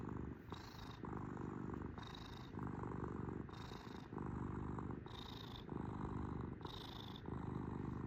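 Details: Kitten purring at close range, a rough low rumble broken into inhale and exhale phases roughly every second and a half, inhales bringing a faint whistle; quiet room.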